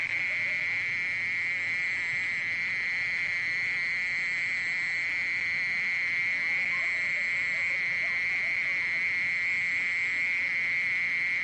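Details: Continuous, even trill of a mole cricket, recorded in 2020 for the National Institute of Biological Resources. A monotonous high buzz holds one pitch throughout, with a fainter higher overtone and no other clear sounds.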